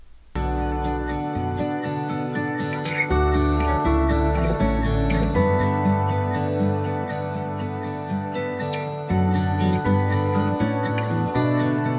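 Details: Gentle acoustic guitar and soft new-age music play throughout, with a steady plucked rhythm and no animal voice.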